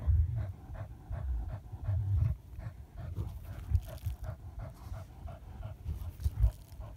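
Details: Hunting terrier of the German breed at a badger hunt, fast regular panting pulses throughout, deep rumble and bumps strongest in the first two seconds.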